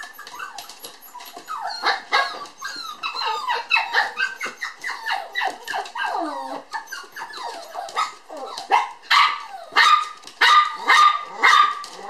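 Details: Two playful toy poodle sisters born 9 July romp energetically, giving a busy stream of high yaps and squeaky yips, some falling whines around the middle, ending in a series of evenly spaced sharp barks.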